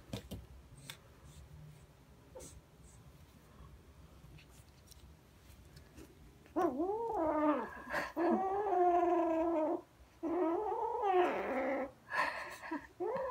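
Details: A kitten carrying a fluffy toy in its mouth and running around growls; after quiet rustling, long wavering growls with a rising and falling tone come in three or four sustained bursts.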